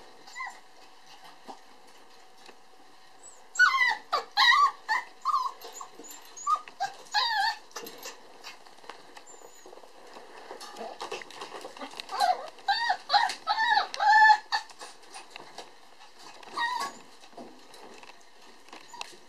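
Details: Puppy, a red-coated boy born on December 22, letting out clusters of short high yips and whines in two main bursts, separated by quieter stretches of tapping and shuffling noise.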